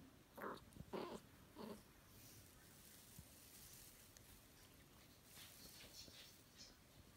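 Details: Suzuki, a chocolate spotted tabby Scottish Straight girl, gives three short, harmonic meows within the first two seconds, then falls quiet with only faint room noise.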